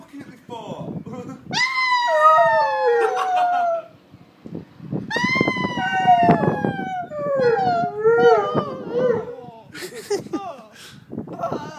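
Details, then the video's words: A 2-year-old Alaskan Malamute howls in long, wavering tones that slide downward, answering police sirens. "Alaskan Malamute Howling"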